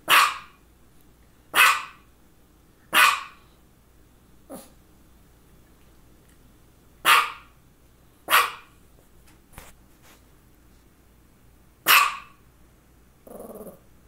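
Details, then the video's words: Pet dog Misha, a female with focal seizures occurring shortly before and after, gives single loud barks spaced about one to three seconds apart, some fainter, ending with a short human voice. "Barking and two focal seizures"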